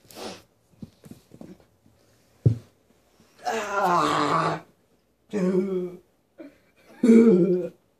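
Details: Puppy screaming oddly while biting, indoors: three harsh, raspy bursts, each a second or less, the first and longest around the middle, separated by silence, preceded by scattered soft clicks and a sharp knock.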